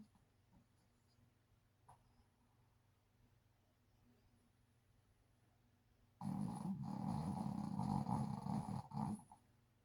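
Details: Sleeping Shih Tzu snoring loudly like a human: about six seconds of quiet room, then a single harsh, gravelly low snore of roughly three seconds.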